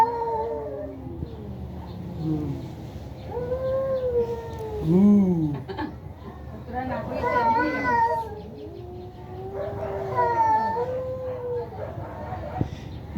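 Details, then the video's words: Fighting cats trade a series of arched, wavering caterwauls, some low and moaning, others higher and strained, spread over thirteen seconds. People talk and cry out in the background. "বিড়ালের ভয়ংকর ঝগড়া"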